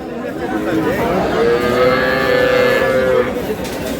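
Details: Cow at the Aftabganj haat in Dinajpur, Bangladesh, among cows and calves for sale; a long, steady moo lasting nearly two seconds, with men's voices and market chatter around it.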